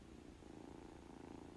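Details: Low, rumbling purr from a house cat, a continuous rapid throbbing with regular pulses, soft and close, with no other clear sounds over it.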